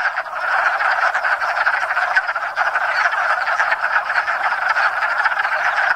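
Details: Hundreds of wood frogs calling together at a pond in Enosburgh during spring breeding, first frogs to chorus each year; continuous dense clucking croaks blending into a steady chattering roar, little other sound.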